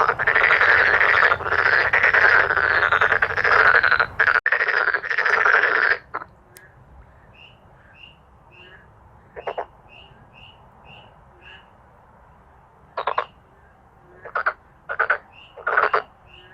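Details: Male black-spotted pond frogs calling together in a loud, dense chorus of rapid harsh pulsed croaks for six seconds. After that come quieter background croaking and short separate bursts of croaks.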